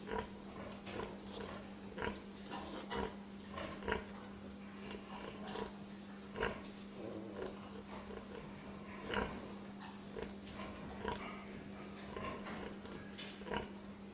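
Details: Domestic pig producing a busy stream of short grunts and snorts, some overlapping, irregularly spaced, over a continuous low hum.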